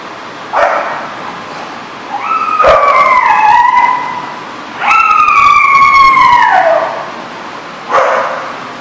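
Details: Dogs in Rhode Island give short harsh barks between two long whining howls, each a drawn-out tonal cry that holds steady then slides downward over about two seconds. A final bark closes the sequence against constant background noise.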